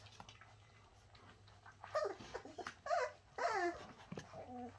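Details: Young Bernese Mountain Dogs, the Shasta puppies, letting out several rising and falling whimpers and squeals in quick succession after a quiet opening, ending with a thinner steady whine.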